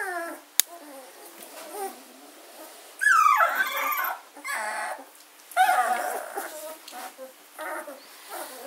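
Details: Fourteen-day-old German Shorthaired Pointer puppies from a gundog kennel, filmed 24 August 2016, indoors; two bursts of high, wavering whines and squeals separated by quieter stretches of soft murmuring and snuffling.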